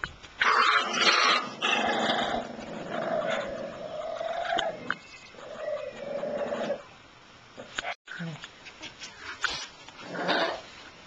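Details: Shiba Inu puppies whining and whimpering in drawn-out, wavering tones with short higher yelps between, mixed with human talking; quieter pauses near the end.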